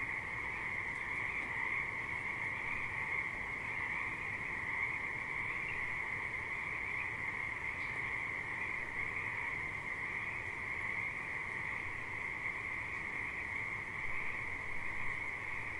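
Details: Massed frogs calling by a river in a long, level chorus: bright high trilling over a lower steady drone, unchanging in loudness from start to finish, with little low-pitched background noise.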